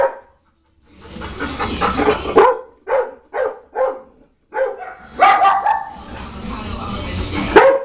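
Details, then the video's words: Indoor dog barking at a china cabinet: three quick separate barks in the middle, bracketed by louder mixed stretches of barking and a person's voice. "Dog barking at China Cabinet"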